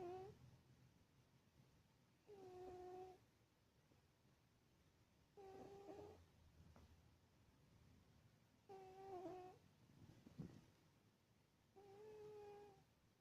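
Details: Sleeping cat snoring indoors: soft whistled, two-toned nasal tones rise with each breath, recurring roughly every three seconds in a slow, steady rhythm, with quiet room hum between breaths.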